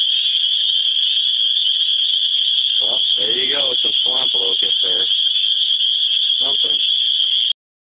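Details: A deafening steady shrill drone of cicadas in Griffith, Indiana, so loud it nearly drowns out a man talking through the middle stretch, ending abruptly.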